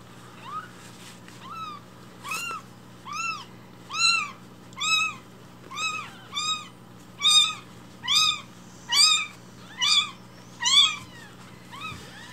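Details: Rescued newborn kittens crying loudly for milk at breakfast time indoors; a steady run of thirteen or so high, arched mews spaced about a second apart, rising in loudness, over a low constant hum.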